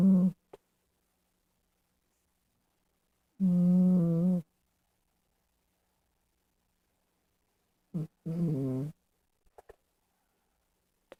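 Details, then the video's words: Domestic cat snoring indoors: low, rumbling tonal snores about one second long, two main snores separated by several seconds of silence, with faint clicks between them. "My cat is snoring!!!"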